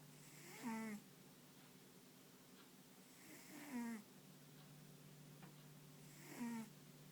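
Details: Dog snoring while sleeping soundly, paws and ears occasionally twitching; soft whistling snores with a falling pitch come roughly every three seconds over a steady low indoor hum.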